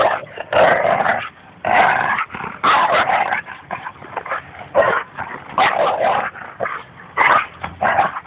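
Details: Playing tug-of-war, Goose the Labrador Retriever trash talks Espy the Bouvier des Flandres at Fernandina Beach Dog Park. Snarling growls come in loud, gravelly bursts of about a second each, separated by short gaps.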